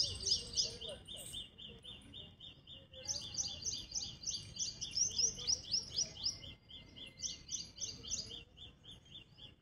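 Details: Squirrel giving rapid series of sharp, high-pitched chirps, about four per second, in bursts of several seconds with brief pauses, over a low background hum.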